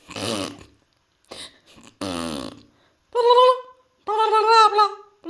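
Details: Pet cat reacting to a weird noise indoors: two rough, buzzy burp-like bursts, then two drawn-out harmonic meows, the second longer and wavering, in a small room.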